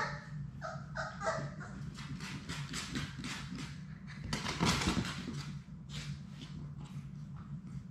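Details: Labrador Retriever puppies from a litter of six, Sadie's pups, at play in their puppy play room, with a short run of high whimpering yips early on. Steady scuffling, thumping paws and rustling fill the rest.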